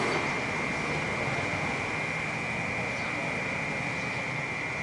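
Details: A city cicada keeps up an unbroken, even, shrill buzz at constant pitch, loud and dense from start to finish, with a background wash of urban noise.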